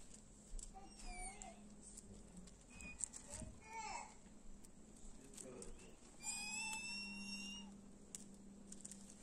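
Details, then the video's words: A cat seeking affection gives short high meows early on, then a long, high, strained meow with a slight fall near the end, over a steady low hum and scattered clicks. "Naughty Cat Wants To Be Loved"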